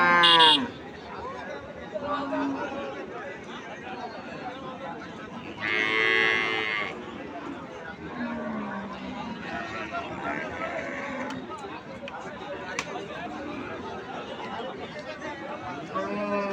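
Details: Cattle at a busy cattle market: a loud, drawn-out moo near the middle and shorter lowing calls among constant crowd chatter and voices.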